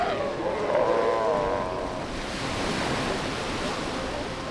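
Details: Galápagos sea lion pup on a white sand beach of Santa Fé Island, Galápagos: one wavering, bleating, harmonic-rich cry lasting about a second and a half, nearly buried under steady crashing surf and wind.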